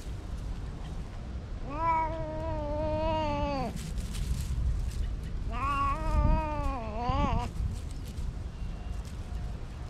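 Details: Free-roaming cats in a park give two long, low, plaintive meows, each lasting about two seconds and dropping in pitch at the close, the second breaking into a short extra cry; quiet outdoor hum behind.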